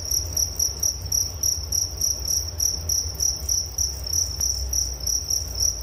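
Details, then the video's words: Crickets in a relaxing night-style nature recording: bright, high trilling pulses around three or four per second, evenly sustained, one faint click midway, and a constant deep hum below. "Suara Jangkrik Penghantar tidur || Nature Sound of Crickets"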